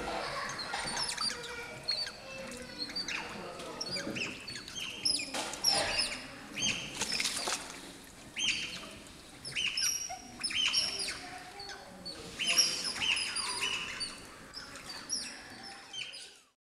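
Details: Asiatic small-clawed otters at Allwetterzoo Münster, in an indoor enclosure shared with Bornean orangutans, calling while expecting food: repeated high, thin chirps and squeaks in clustered bursts, fairly soft against a low room background.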